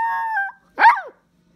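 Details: Pet dog calling for its owner: a steady, tonal whine held for about half a second, then a short, loud, arched yelp that rises and falls. Silence follows.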